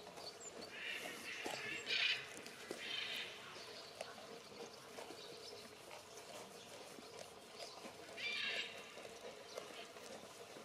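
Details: Goat that loves cuddles, making short, noisy, breathy bleats near one, two, three and eight seconds, each under a second long, with quieter rustling and handling sounds in between.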